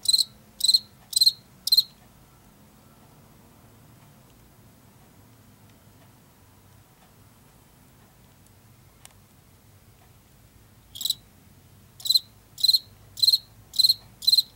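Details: High pulsed chirps from a field cricket, an insect of fields and forest edges in late summer and fall: four quick chirps, then a long silent pause, then a fresh run of chirps near two per second.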